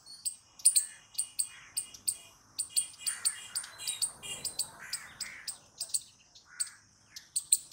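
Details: Squirrel giving loud, sharp high-pitched chirps, often in quick pairs, repeated about twice a second throughout, with softer lower whistled notes now and then in the background.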